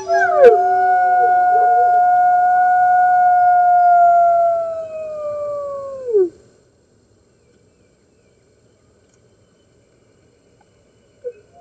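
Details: Red wolves at a New York wolf conservation center join the center's other wolves howling early on March 15, 2013, webcam recording: one clear sustained howl for about six seconds that sags downward at the end, then near silence.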